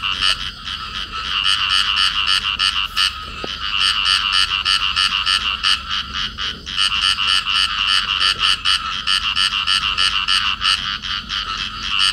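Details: Field frogs, a pair locked together, croaking nonstop: rapid raspy pulses about three per second, with brief breaks near the third and seventh seconds before the grating rhythm resumes.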